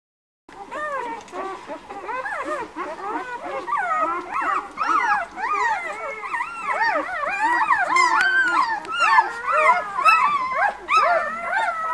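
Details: Litter of White Swiss Shepherd puppies born 11 August at a breeding kennel, many whining and squeaking together in dense overlapping arched whimpers, rising and falling, continuous for the whole stretch after a brief silent start.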